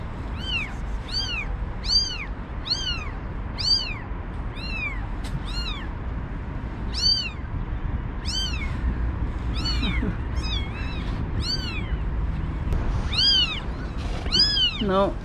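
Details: One-day-old newborn kittens with their mother, taken from an unprotected outdoor cage ahead of a snowstorm; five kittens. Repeated high arched meows roughly every half second to second, steady background hum.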